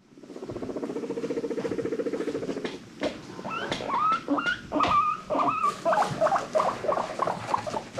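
Guinea pig giving a low, rapid purring rumble, then a run of squeaky, rising wheeks.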